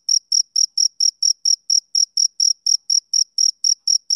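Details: Male cricket heard on a summer evening, producing crisp, high-pitched chirps evenly spaced at about four each second, with a faint upper overtone and no other sound.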